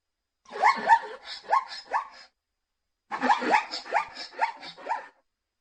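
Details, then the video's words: Two short bursts of zebra barking, each a quick run of four or five rising, squeaky yelps separated by a pause of about a second. "som de zebra ,Зубла Зебра ,斑马声"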